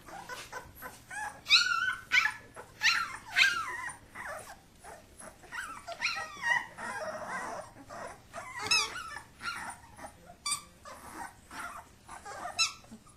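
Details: Kuvasz puppies wrestling while their father watches; high whiny yips and squeals come in clustered bursts, some with rising and falling pitch, mixed with scuffling noise between the calls.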